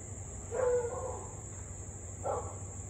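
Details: Husky in Louisville, 6:24 pm on 3 August 2021, barking and howling nonstop for almost half an hour; two short mid-pitched barks about a second and a half apart, set against a constant shrill insect-like hum and faint low background noise.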